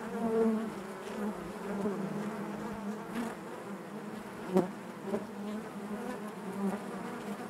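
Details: Honey bees buzzing naturally inside their hive: a dense, continuous hum centred low with layered overtones, steady throughout, broken by a few brief louder clicks or bumps near the middle.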